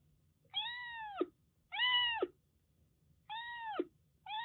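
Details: Rescued Siamese mix kitten, formerly a stray, in Kagoshima, Japan, during shampooing: four clear harmonic meows, each about half a second, slightly falling at the end, spaced about a second apart in a quiet room.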